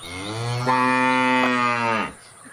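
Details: A single cow gives one long, steady moo of about two seconds, full and harmonically rich, then stops abruptly into quiet.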